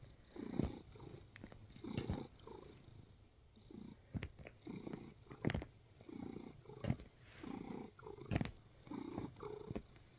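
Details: A relaxed domestic cat purring while kneading, in a close indoor recording. The purr rises and falls in soft, rhythmic low rumbling pulses about every second, with faint clicks and rustling from kneading.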